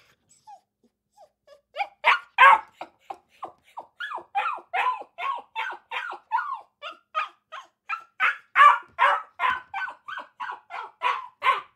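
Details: Several Akita puppies keep up a fast, continuous chorus of shrill barks and yips, starting quietly and building to steady barking nearly three per second.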